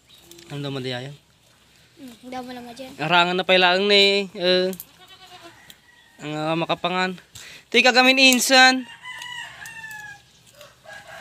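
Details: Pregnant goats on a backyard goat farm giving loud, wavering, quavering bleats in several bursts of one to two seconds, separated by short pauses, with low background murmur.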